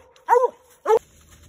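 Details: Redbone Coonhound on a night raccoon hunt giving two short, hoarse bawling barks about half a second apart, followed by quiet.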